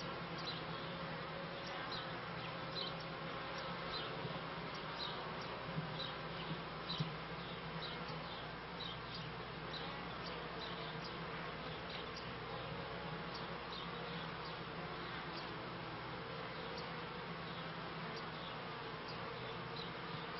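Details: Honey bees kept by a beekeeper, recorded at the end of the 1995 season and start of 1996, give a steady, dense, low droning hum with a faint tonal hum beneath and small ticking sounds scattered throughout.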